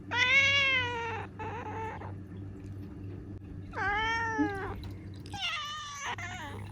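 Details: Indoor meowing by a pet black cat named Ciel, female, seven years old, in Japan: a loud long meow, a short follow-up, then another arching cry and a shakier final call, with a low mechanical hum beneath.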